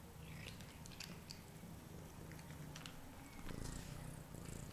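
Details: Domestic cat named Daddy, after eating and going to the litter tray, gives a steady low rumbling purr throughout, with faint scattered clicks and light rustling indoors in a small room.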